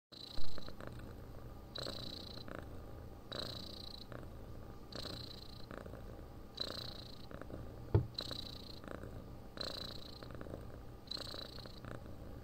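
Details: Domestic cat purring and snoring in its sleep: a steady low rumble that swells with a brighter hiss about every one and a half seconds, following each breath. A couple of sharp clicks are heard near the start and at the middle.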